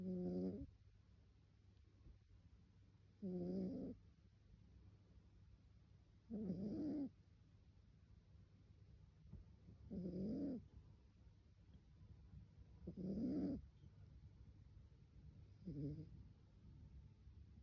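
A Pembroke Welsh Corgi puppy snores in low, rumbling breaths roughly every three seconds.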